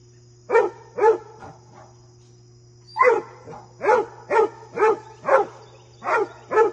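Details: Basset Hound barking while goofing off and playing with deer: a quick pair of deep, resonant barks, a pause, then a run of six steady barks about half a second apart, with a faint hum underneath.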